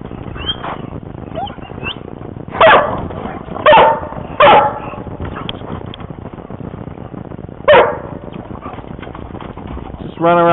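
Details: Dogs at a lake, playing by a dock and swimming; loud barks in separate bursts, about four over ten seconds, over steady noise, with a man calling to the dogs and a higher whine at the end.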